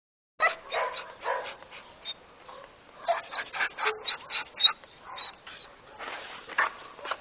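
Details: Border Collie mix wearing an Elizabethan collar, waiting for adoption at an animal shelter in Roquetas de Mar, Almería, Spain, whines and yelps in clustered high-pitched bursts, one group early on and a denser run midway.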